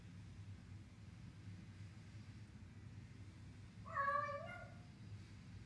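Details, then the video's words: A cat eating its food lets out one short, level, harmonic meow near the end, after several seconds of quiet with only a low background hum. "Cat making cute sounds while eating"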